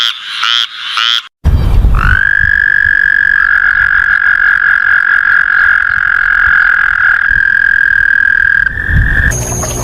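A frog gives a few short croaks, then a long, steady, high-pitched trill lasting several seconds.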